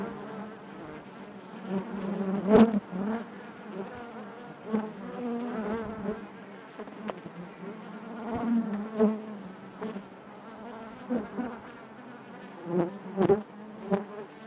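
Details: Honey bees droning within the hive, a constant low buzz with overtones, punctuated by several short louder bursts and clicks from bees moving close by.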